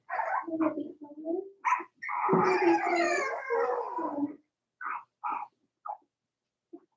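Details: Cavalier King Charles Spaniel puppies, four weeks old, from Daisy's litter in a puppy pen: a few short whimpers lead into a long wavering howl-like whine of about two seconds, followed by scattered brief yips fading out.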